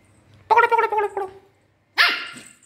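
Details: Pomeranian named Sweety, a pet dog playing, gives two throaty, pulsed vocal bursts: a rolling, gargling growl-bark of about a second, a short pause, then a shorter, higher, rasping yap that trails away.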